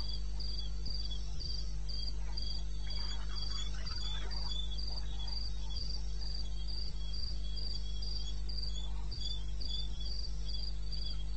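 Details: Night cricket from eastern Botswana wilderness, recorded in May at 02:30: rapid, regular high-pitched chirps run throughout, roughly three per second, joined by a fainter second pulsing insect and a continuous low hum.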